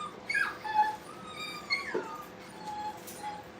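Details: Brittany puppies at play in a kennel, giving high whimpering and whining calls with sliding tones, several short rising and falling whines overlapping, against a steady low background hum.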